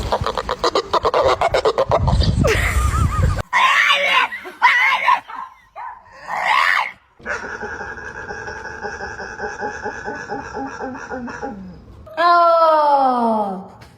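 A dog makes odd, strained vocal sounds, from choppy grunts to a long harmonic moan and falling whine.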